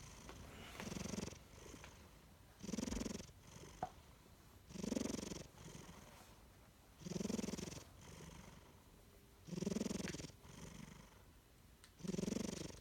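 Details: Chino, a napping pet cat, snores steadily. Soft, throaty inhalations come roughly every two seconds, six in all, each a low buzzing rumble with quiet gaps between them.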